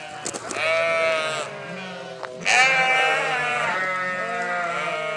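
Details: Flock of sheep calling back to a farmer: two loud, long, wavering bleats, each starting with a harsh onset then holding a trembling tone, with fainter bleats between.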